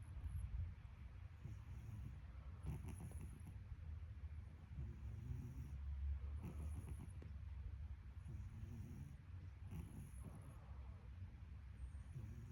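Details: Cat snoring, recorded 12 March: soft, low rumbling breaths come roughly every three to four seconds, each with a faint airy hiss, in an otherwise quiet room.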